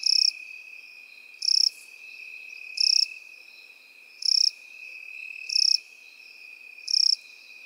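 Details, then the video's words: In field grass where crickets and grasshoppers live, six loud, sharp, high chirp pulses come roughly every 1.3 seconds against a continuous thin buzzing hum. "Сверчки и кузнечики в полевой траве"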